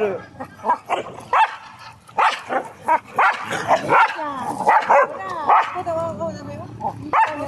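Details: English Springer Spaniels playing in a dog park, barking in quick, uneven bursts of short yelps and barks, some with wavering pitch, with people's voices mixed in.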